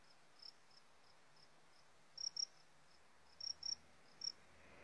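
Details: Sumbawa fighting cricket kept on a new Warrior feed blend, giving sharp high chirps mostly in close pairs with pauses between, a few fainter chirps early on, and steady low hiss behind.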